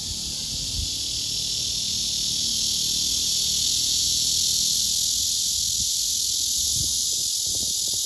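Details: A courting male blackish cicada sings hard for an unresponsive female below. The song is a continuous, loud, hissing buzz with no pauses, joined by a few soft low knocks near the end.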